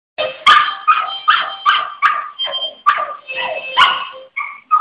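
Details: A Shih Tzu singing along with a harmonica: short wavering yowls and yips mixed with steady reedy harmonica notes, in quick uneven phrases.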